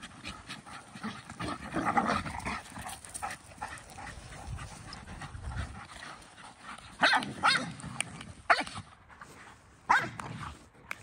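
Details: Playing dogs, an Akita, a Malinois and a Corgi, burn off energy during evening playtime before bed. Rough growly play vocalising builds, then several short sharp barks and yelps stand out in the second half.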